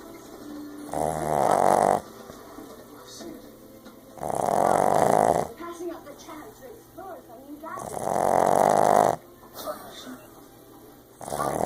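A Boston Terrier snores loudly, each deep rasping breath returning about every three and a half seconds.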